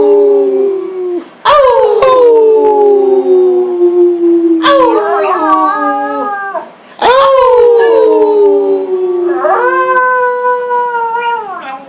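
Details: Frito, a goofy family dog, howls along with family members in August 2012, several long drawn-out tones each gliding slowly downward, overlapping with human voices imitating the howl, indoors in a small room.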